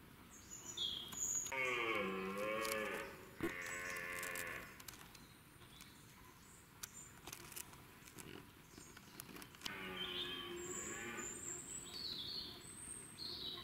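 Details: Huge wild red deer stag with 23 points in the UK, giving two long, groaning, harmonic bellows of about three and two seconds, with small birds twittering high in the background and a windy outdoor hiss.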